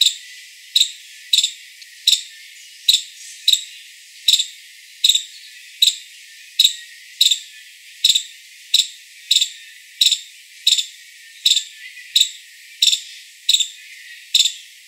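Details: Series of some twenty-two shrill, short chips from a five-striped palm squirrel, delivered in a fairly regular rhythm of slightly under one per second.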